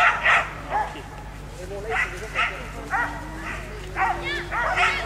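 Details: Belgian Shepherd at a national breed show agility session, barking in short irregular bursts, some with a yelping edge, while people talk nearby over a low steady hum.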